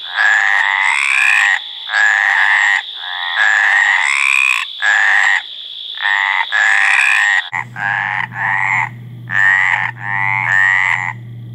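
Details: Courtship calling by a Mediterranean tree frog, a run of drawn-out rasping croaks in close succession; a high steady whine fills the first part, then a low hum takes over.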